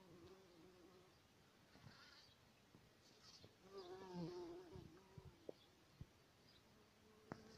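A bumblebee's low, humming buzz swells and wavers in pitch, then fades, with a few sharp clicks after.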